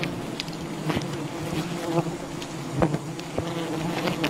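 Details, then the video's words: Swarm of wild bees disturbed while honey is gathered from their colony, giving a continuous low, even drone overlaid with occasional crisp taps and cracks. "Wild bee honey hunting"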